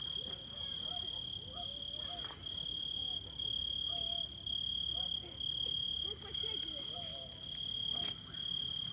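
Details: Summer crickets singing: a bright, steady high-pitched trill pulsing in bursts about once a second, with fainter overtone tones above and soft low chatter in the background.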